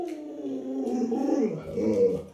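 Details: Pet Alaskan Malamute Lolo, a household dog, gives a drawn-out howling moan indoors: a harmonic tone sliding down from mid pitch, then wavering and dipping lower near the end, with a person talking nearby.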